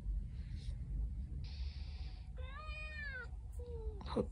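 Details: A domestic orange cat lying heavily on its owner in the morning gives a drawn-out, harmonic meow that rises then falls, followed by a short quieter meow, over a low indoor rumble.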